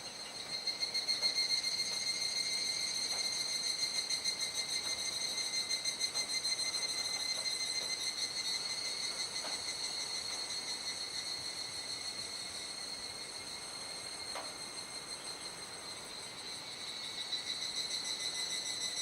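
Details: Cicadas in a dusk chorus at Kuji, Iwate, Japan, 17 July 2017 around 19:11–19:25, during the rainy season, before falling quiet as the sky darkens. A steady, shrill, high drone pulses about three times a second, with faint scattered clicks.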